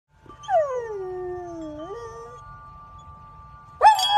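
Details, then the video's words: Golden retriever singing along to wind chimes, a smooth howl sliding down and then rising, with a steady chime tone ringing behind it and a bright chime strike at the end. "A golden retriever sings to the tune of wind chimes"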